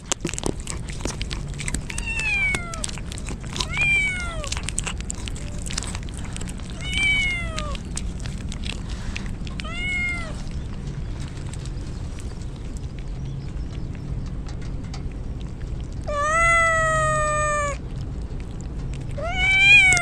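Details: Rain-soaked stray kittens call out as a typhoon nears; repeated downward-curving meows roughly every two seconds, then a longer, louder drawn-out cry and a final meow, against a background of steady rainfall and tapping.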